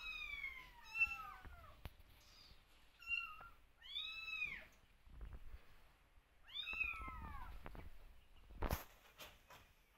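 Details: Kittens meowing for their watchful mother nearby; a series of short, arched, high meows, some overlapping, spread over ten seconds with soft thumps and a brief noisy burst near the end.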